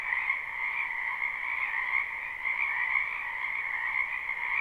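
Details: Spring wetland frogs calling together in a live recording: a thick, steady wall of shrill trills with slight pulsing, two layered pitches running without pause, nothing else audible.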